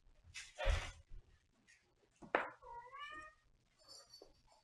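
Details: Short, clear meow from a domestic cat, its tone sliding gently downward, following a couple of loud thuds and a sharp knock; faint high ringing afterwards.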